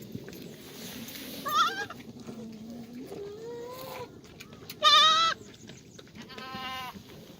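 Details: Black goats at a farm in Sangdong-myeon, Gimhae, South Gyeongnam, Korea, in the goat exercise yard on a sunny Monday morning, 1 April 2019; several wavering, harmonic-rich bleats of differing pitch, one loud and nasal near the middle, over a low rumbling background.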